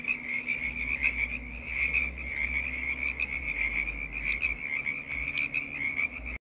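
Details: Many frogs calling together as a choir, shared during a spell of snow and bad weather; the overlapping high trills merge into one unbroken ringing wash, with scattered sharper clicks and a soft low rumble beneath.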